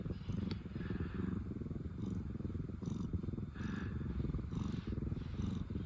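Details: Low, steady purring from a pair of ex-rescue cat sisters, Pina and Piko, relaxed and content; rumble carries on unbroken while gentle breath sounds rise and fall every second or so.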